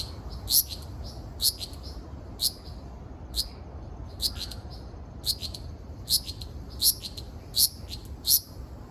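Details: Okinawa Island, Japan, 17 June 2026: a Ryukyu large brown cicada produces bright, shrill clicking buzzes at slightly irregular intervals of under a second, with quiet low background noise.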